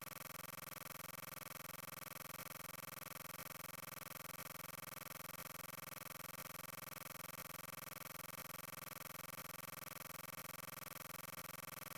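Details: Only a flat, steady electronic noise with faint regular ticks is heard, with no animal sound.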